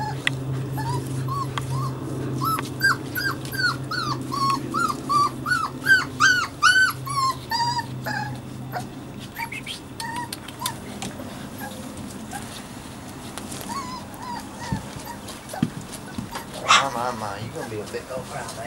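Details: Puppies Savannah and Jericho at play give a long burst of high, wavering yelps and whines in rapid succession over a low droning hum, thinning out into sparse squeaks and knocks.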